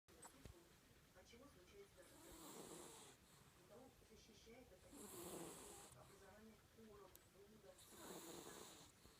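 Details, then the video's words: Sleeping cat snoring: soft, breathy, noisy swells return roughly every three seconds in a slow, uneven rhythm, with a faint low rumble underneath in a quiet room. "Кот храпит"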